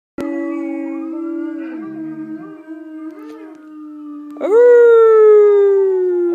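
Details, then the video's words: Alaskan Malamute trying to howl while recordings of other malamutes howling play: long steady drawn-out tones with wavering, yodel-like bends, then a louder howl that sweeps up sharply and slowly falls away. "Alaskan Malamute Trying to Howl"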